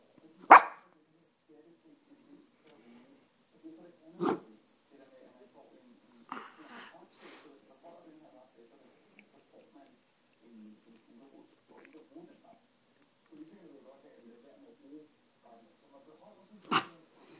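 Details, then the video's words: Pet female dog begging for food at home, wanting a sandwich; a few sharp barks spaced several seconds apart, with soft whining and a person talking quietly between them. "begging for food"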